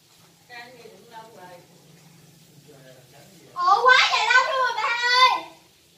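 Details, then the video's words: Cats fighting and meowing indoors: soft wavering harmonic meows near the start, then a loud, strained, quavering yowl lasting almost two seconds with a rising and falling pitch. "Cats Fighting and Meowing"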